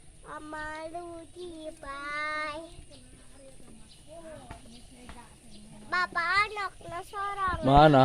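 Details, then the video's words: Sheep bleating together with a lamb: several wavering, harmonic bleats, one early and long, a shorter one near the middle, then a louder cluster rising to a strong final cry, over a low steady background hum. "Marab Domba Jeng Budak"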